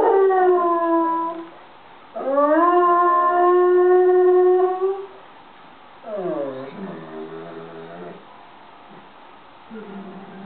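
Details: A pet dog howls at an ice cream van's music in long, held, mournful notes that rise at the start and then hold steady.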